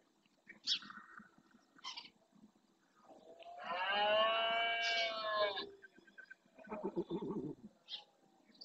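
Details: Red deer stag roaring during the rut in the marshes of Doñana National Park, Spain, males claiming territory; one long, loud, strained roar with a falling harmonic tone lasting about two and a half seconds, between short grunts and a rougher low call.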